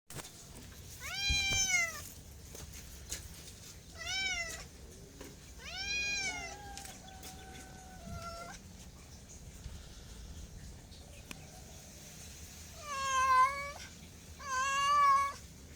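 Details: Cat meowing about six times, drawn-out harmonic meows with rising and falling pitch, some short and some long, a few louder than others, with quiet gaps between and a faint background hiss.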